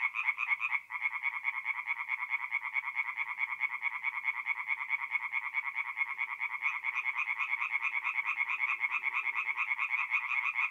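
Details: At a forest pond by night in north-east Italy, mid-April, singing tree frogs produce a constant chorus of rapid, grating pulsed croaks, dense and overlapping, with a brief dip in the calling near the start.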